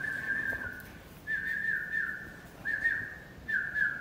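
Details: A two-month-old Pit Bull puppy playing whimpers in a series of high, level, slightly wavering whines, each lasting about a second, separated by short quiet gaps.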